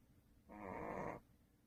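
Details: Sleeping indoors, the pet dog Duhee, the family's second dog, gives a single strong snore: a rasping, vibrating drone of about three quarters of a second that starts and stops abruptly.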